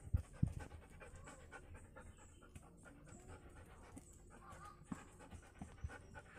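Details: Doberman dog panting: quick, rhythmic, breathy pulses at about three or four per second, low and soft throughout, with a few louder thumps.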